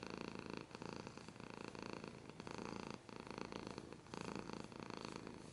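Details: A cat purrs continuously, a low vibrating rumble that swells and dips with each breath roughly every second, alongside faint scratching in a quiet room.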